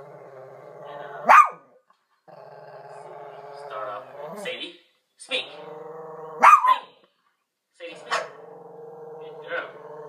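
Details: A Shih Tzu watching a dog video on TV gives two short, sharp barks amid a steady murmur of voices.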